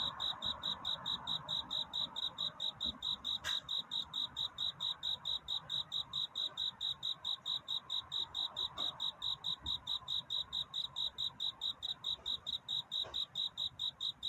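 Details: Cricket singing its courtship song on a night before dawn: a steady series of short, bright, high chirps, a little over two per second, with a faint hiss of background and an occasional soft click.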